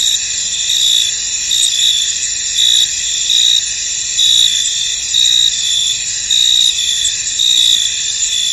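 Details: Many crickets calling in a misty field, their high, shimmering trills forming a constant wall of sound, with brighter chirp bursts pulsing about once per second.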